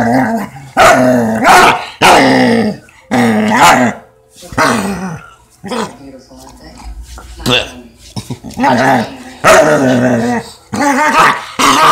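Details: Weimaraner making funny noises while play fighting: bursts of rough, moaning grumbles and growls with sliding pitch, broken by short pauses, and a person laughing nearby.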